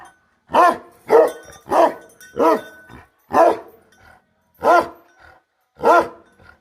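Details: Bhote Kukur guardian dog barking, seven deep, loud barks at uneven spacing, the first four close together and the rest separated by longer pauses, with clean silence between them.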